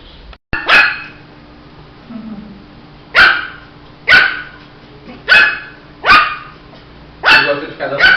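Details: Shih Tzu puppy barking indoors: short, sharp, high yaps, seven of them over eight seconds, spaced unevenly with gaps of one to two and a half seconds, over a faint steady background hum.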